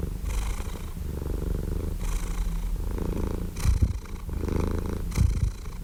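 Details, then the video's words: Softer, quieter cat purr, a deep fluttering rumble rising and falling with slow breaths, with a couple of brief low thumps near the end. "Purring Cat"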